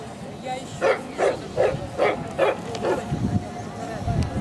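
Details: At a Central Asian Shepherd Dog club show near Kyiv, September 2019, during the junior bitches class line-up, a dog gives six deep, even barks about every 0.4 seconds, with ringside chatter in the background.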